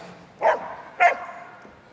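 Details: Border collie at Crufts 2019 barking excitedly on the start line before an agility run: two loud, sharp barks about half a second apart over faint arena background.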